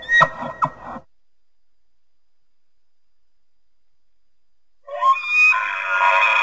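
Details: An elk (Cervus canadensis) gives a short burst of rough, grunting sounds followed by a high, flute-like call rich in overtones.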